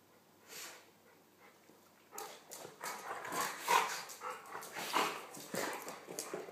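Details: During playtime between Nelson, a golden retriever, and small Pomeranian poodle Buster, who goes under him to nip his ears, a quiet start gives way to dense, rough grunts and breathy growls in quick, uneven bursts.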